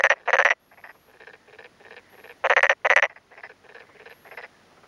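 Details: Male black-spotted pond frog calling in daytime with inflated cheek vocal sacs from a flooded, puddled rice paddy in rural Yamaguchi, Japan, on a May afternoon, answering a nearby male: loud rapid pulsed croak bursts, with fainter pulsed calls of the other male between.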